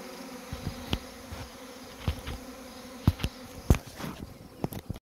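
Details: Swarming honey bees from overwintered hives that have multiplied into too many colonies: a low buzzing drone broken by louder, sudden buzzy surges as single bees zip close past.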